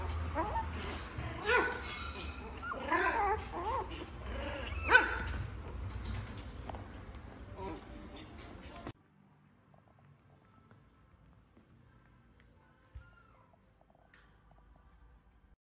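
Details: Female Chihuahua-Poodle mix giving short, high yips and whimpers through the first nine seconds, mixed with voices, then near silence broken by one soft knock.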